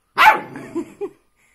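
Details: Young dog talking and arguing: a sharp, bright opening yap that fades into a lower murmuring growl, followed by two short rising grunts.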